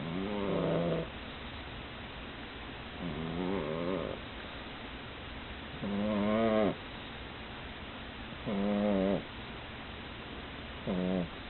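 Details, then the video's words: A female pug snoring after tiring herself out with play: five wheezy, nasal, harmonic snores, each about half a second to a second long, recurring roughly every two and a half seconds with quiet breathing pauses between. "Snoring of the pug（パグのいびき）"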